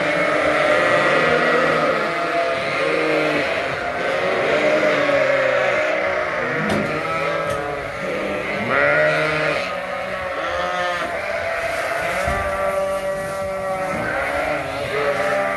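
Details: Many Suffolk lambs, mixed together in one big barn pen after escaping through an open gate and racing around, bleat almost constantly. The calls are overlapping, rising-and-falling and nasal, with a few sharper cries.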